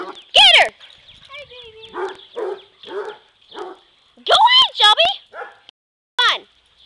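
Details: A yellow Lab mix, a black Lab and Australian Shepherd mix, and a Basset Hound chase and play with each other. Loud, ringing, high-pitched barks and yelps come in short clusters, separated by people chatting and laughing.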